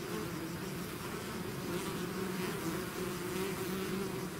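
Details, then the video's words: Hive swarm of bees buzzing, a thick low drone of overlapping wingbeats holding two steady tones, slightly wavering as bees shift around, with a constant airy hiss. "bees therapy swarm natural buzzing sound"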